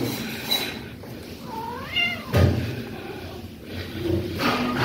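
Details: Persian cat giving a short rising meow with a bright harmonic sweep lasting under a second, set against a steady noisy indoor background with a few soft thumps.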